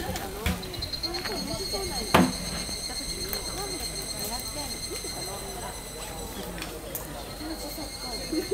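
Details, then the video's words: Evening insects calling in late July in Japan, as hikers pass by: steady, high, ringing tones hold throughout, stacked in several pitch layers, while people's voices murmur lower down and a brief sharp knock sounds near the two-second mark. "夕方蟲の七月歌 Evening Insect Noises"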